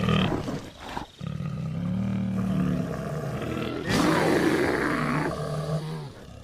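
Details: An American black bear (Ursus americanus) cries, giving deep, drawn-out roaring moans with a rough, throaty edge.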